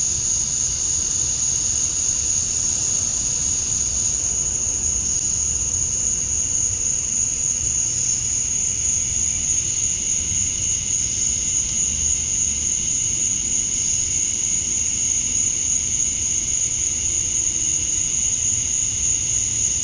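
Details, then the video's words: Cicadas in Georgia, USA, at dusk on a summer night, the males chirping to attract females. A dense, even, high buzzing drone persists throughout, dipping slightly after four seconds, with a low ambient rumble underneath. "Cicadas at Dusk, Summer Night"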